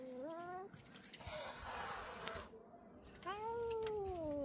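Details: At home in Ljubljana on 4 July 2024, an angry domestic cat gives a drawn-out, wavering low yowl, then a breathy hiss, then another long moaning growl-yowl that slowly falls in pitch.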